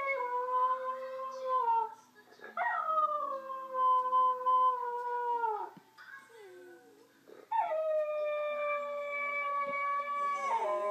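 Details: Pet dog Willow howling along while watching Clyde the singing Yorkshire terrier: long sustained tonal howls, each a few seconds, held fairly level then dropping at the end, separated by short quieter gaps with softer whining notes.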